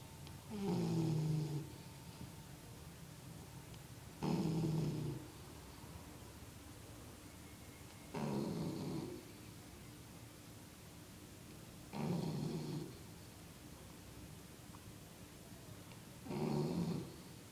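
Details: Sleeping dog during a nap, giving five deep, rattling snores at a steady pace of about one every four seconds, each snore low and grainy with a slight nasal buzz, quiet room between breaths.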